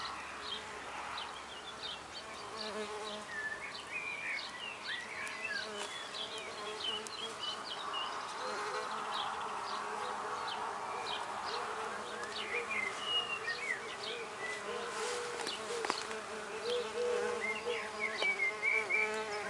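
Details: Six female red orchard mason bees begin nesting in 8mm holes of a recycled-oak drill block in a back garden. A continuous low buzz drones throughout, swelling toward the middle, beneath scattered bird chirps and whistles.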